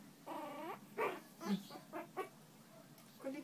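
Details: Newborn Shih Tzu puppies handled indoors during bonding time: a rising-falling whimpering squeal with stacked harmonics, then several short squeaky yelps at irregular intervals, with soft talking nearby.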